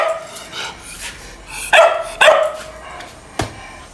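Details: Two sharp, strong barks about half a second apart from a dog during a fight, preceded by softer yips and followed by a brief thud.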